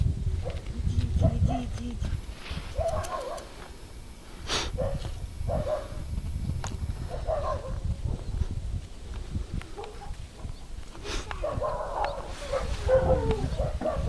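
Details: Male Siberian husky vocalizing in drawn-out, wavering whines and yelps with bent tonal contours, repeated in short bursts across the recording, with thumps and handling noise underneath.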